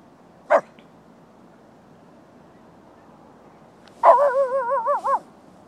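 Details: A Lhasa Apso barking at deer at night gives one sharp bark, then after a pause a drawn-out, wavering, tonal bark-howl.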